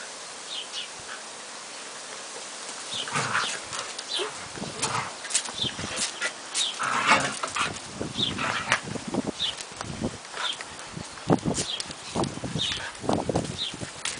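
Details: Mother dog Belle playing with her 14-week-old son Shaggy Dog on 1 June, in mud after heavy overnight rain. Short, rough, breathy growl-like bursts and scuffling come in clusters from about three seconds on, with faint high chirps behind.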